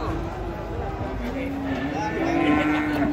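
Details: Cattle being unloaded from a truck in Indonesia: a long, steady, low moo held for several seconds, slightly rising toward the end, over rumbling background noise and people chattering in Indonesian and Javanese.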